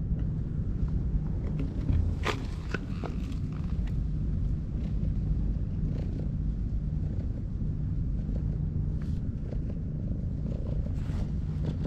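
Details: Stray cat sleeping on a breakwater purrs while being stroked; a steady low rumbling purr runs throughout, with a few brief clicks and rustles above it.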